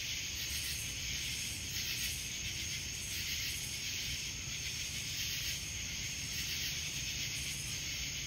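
A chorus of cicadas makes a continuous, high, hissing drone. The sound surges and eases roughly every second or so, with a faint rumble of distant noise underneath.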